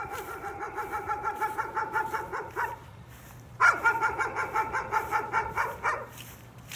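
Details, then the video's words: Dog's nuisance barking: two rapid bursts of sharp, evenly spaced barks, about a dozen in the first burst and a similar run after a short pause, with a steady low hum underneath. "Nuisance barking again."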